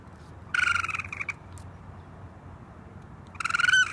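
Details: Raccoon giving a vibrating, rapidly pulsed trill that runs for nearly a second, then a pause, then a second buzzy trill that rises slightly at its end, with a faint background hum.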